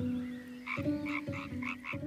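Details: A male European tree frog inflates his vocal sac to amplify rapid, harsh croaks calling for a female. A female soon arrives, and they pair to spawn in the water.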